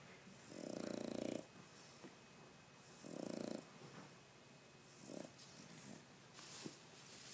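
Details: Boston Terrier dog snoring loudly while asleep indoors: broad rasping snore bursts about every two seconds, the first two long and strong, later ones shorter and softer, with a quiet room hiss between breaths.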